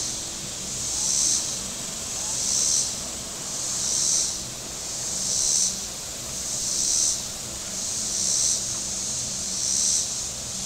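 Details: Shore cicadas at Table Rock Lake, southern Missouri, on a hot Saturday. A shrill buzzing chorus rises and falls in regular waves roughly every 1.4 seconds, seven swells in all, above a continuous high hiss and faint low hum.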